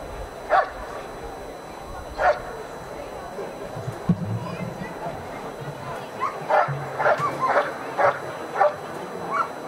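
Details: Dog doing protection work at a 2015 NIAK dog sport trial, giving sharp single barks a couple of seconds apart, then a quicker run of barks, over steady crowd murmur and a low hum.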